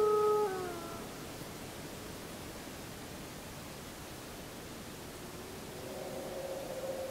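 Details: Wolf howling under the full moon on 31 July 2015, recorded with a JVC Everio GZ EX215 HD camcorder: a steady, mid-pitched howl with overtones fades after about a second, then a fainter howl rises near the end over a hissing background.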